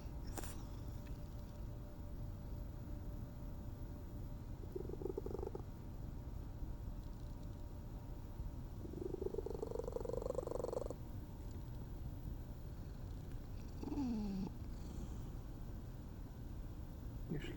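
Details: Stray cat making strange purring sounds: a steady low rumble throughout, broken by a few short tonal trills and one quick downward squeak near the end, in a quiet setting.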